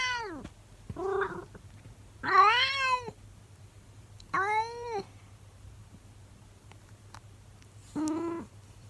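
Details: Monkey, a 24-year-old calico cat indoors, talks to her owner while getting curious about the camera: four drawn-out, rising-then-falling harmonic meows and howls, the longest near two seconds, separated by quiet room hum.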